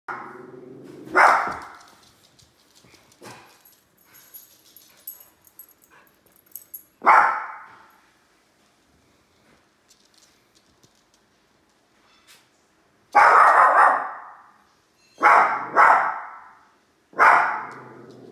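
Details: Two little dogs barking at a large toy indoors: sharp yapping barks at about 1, 7, 13, 15.5, 16 and 17.5 seconds, with quiet shuffling and clicks between bursts.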